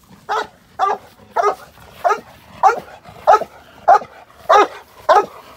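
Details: Male Cane Corso in k9 response training, London, UK, staged against a moped gang crime scenario: a steady series of nine deep, loud barks, one about every 0.6 seconds, over faint background noise.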